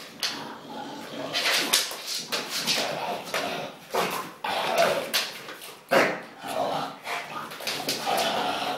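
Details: ['A domestic English bulldog indoors gives scattered, abrupt huffs and short bark-like snorts, spaced unevenly about every half second to second, with faint human voices in the background.']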